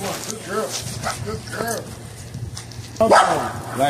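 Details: Two pet dogs, a male XL American Bully named Legend and a female American Bulldog hybrid named Smooch, during bite sleeve training; short rising-falling whines and yips repeat about every half second, with a man talking and urging.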